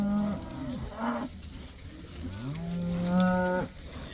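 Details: Several moos from cows let outside for the first time: a short low call, a brief higher one, then a long, steady, rising bellow near the end, with faint background noise.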